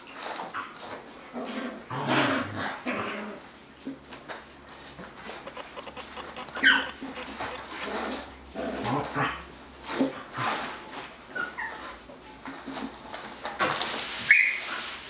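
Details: Australian Shepherd puppies at a dog daycare: a busy run of high whimpers and short yelping barks rising and falling in bursts, with a few sharp squeaks near the end over steady indoor background noise.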